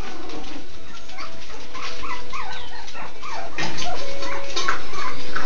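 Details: Miniature Schnauzer puppies at a breeder's give scattered short whimpers and squeaks, with a steady faint tone, a clatter near the middle and rustling.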